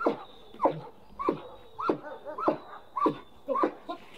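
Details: Protection-trained German Shepherd barking steadily during bite work, about eight sharp, rough barks spaced roughly half a second apart, with faint background murmur.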